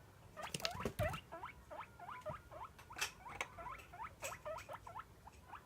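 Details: Pet guinea pig calling to beg for food at daily feeding time: rapid series of short, squeaky wheeks, each a quick upward-sweeping whistle, repeated about twice per second with faint rustling and handling noise beneath.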